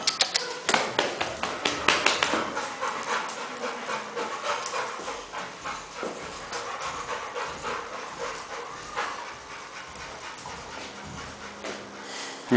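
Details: Rottweiler in Nigeria panting in quick rhythmic breaths, loud and steady at first, then gradually softening over twelve seconds, with faint background noise.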